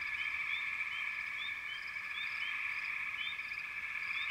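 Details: Dense frog chorus: an unbroken buzzing trill carries through, while quick rising chirps pop in above it several times a second.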